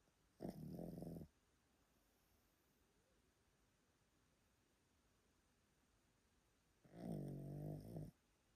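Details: Yotaro, an old Pomeranian sleeping indoors in Japan, gives two loud, deep snores roughly six seconds apart, each lasting about a second with a rattling, growl-like texture, separated by near silence.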